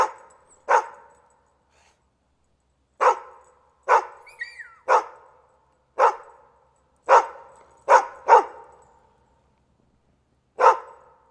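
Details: Dog barking in single sharp barks spaced irregularly, about ten over eleven seconds, with a few faint bird-like whistles in the background.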